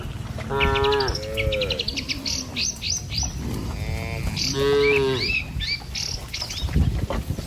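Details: Tame village cows walk in a row over a wooden bridge toward grassland, driven by herders along a damp paddy path. Two wavering moos sound, separated by busy high bird twittering and low rumbling background.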